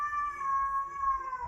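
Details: Cat fight: a domestic cat's loud drawn-out caterwaul, a sustained nasal wail at a fairly even pitch that sags downward at the end, heard indoors with faint low background rumble.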